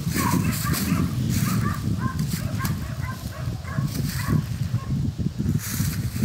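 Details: Jagdterrier hunting dogs in Kosovo, filmed with a drone, give a fast run of short, sharp barks repeated several times a second, over steady low rumbling wind or motor noise.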